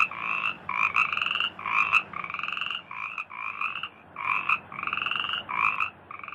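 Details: Frog chorus from rice fields. Drawn-out, buzzy tonal calls overlap in groups of long and short notes. A faint low hum runs underneath during the first half.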